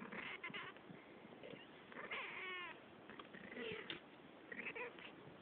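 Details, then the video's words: Domestic cats Cille and Claudia talking to each other in a run of short, overlapping meows and chirps, one drawn-out wavering meow in the middle, and soft muffled noises between calls. "Cat talk"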